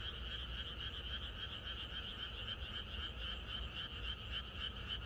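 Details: Night-time frog chorus in the countryside before rainfall, a short burst of densely overlapping, quickly pulsed croaks forming a constant trilling drone with low background noise.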